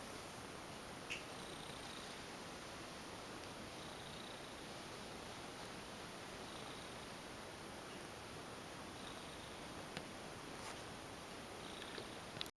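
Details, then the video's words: Affectionate ex-stray female domestic cat purring during a massage indoors; continuous low, grainy purring holds steady throughout, with a few brief soft clicks or rustles near the start and end. "Lovely Cat goes limp for a massage & purrs lots !"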